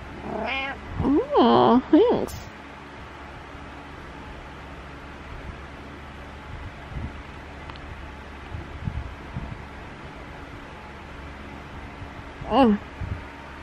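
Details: Indoor morning vocalizing by Butters, a house cat: a loud cluster of wavering, drawn-out meows in the first two seconds, a long quiet stretch with room hum, then one more meow near the end.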